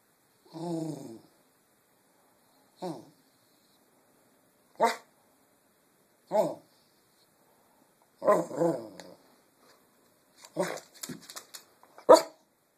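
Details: Pet dog asking to be fed, giving soft, low-volume barks indoors: about seven short, harmonic, grumbling woofs spaced irregularly a second or two apart, some with a growly edge, the last few in a quick cluster.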